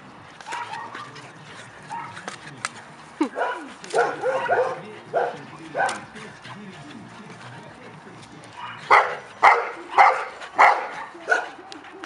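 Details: Labrador Retriever puppies three months old running around, sharp puppy barks in irregular clusters then a quick run of five yaps, with faint talk and a background hum.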